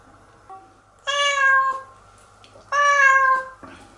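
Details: Cat Nora crying as she is bathed in the shower; two long, even meows with bright overtones roughly a second and a half apart, with faint clicks and a low hum between them.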